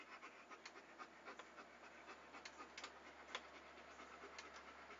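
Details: Rapid, even panting from a dog, made for soothing relaxation listening: short airy huffs several times a second over a constant low electrical hum, with a few soft clicks.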